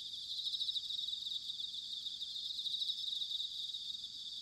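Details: Continuous high-pitched trilling of bell crickets, recorded in autumn at Sanuki, Chiba Prefecture, Japan; many overlapping singers form an even shimmering drone with faint pulsing and quiet low background hum.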